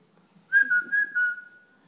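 A pug gives a high, thin whine that holds steady and pulses three times before trailing off.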